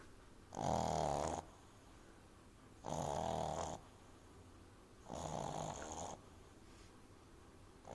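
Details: Exaggeratedly loud snoring from Amy, a French Bulldog puppy sleeping in someone's arms: three harsh, buzzy snores roughly every two and a half seconds, each lasting about a second, with quiet pauses between.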